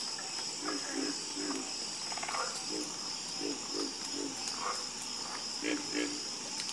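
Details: Frog croaking: low, short throaty notes in clusters of two or three, spaced irregularly, with a few higher chirps and a continuous shrill insect drone behind.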